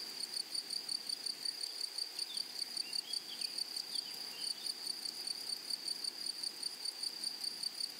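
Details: Chorus of grasshoppers in a flowering meadow: shrill, unbroken high buzzing with regular rapid pulses throughout, plus a few soft, thin, twittering notes midway over low background hiss.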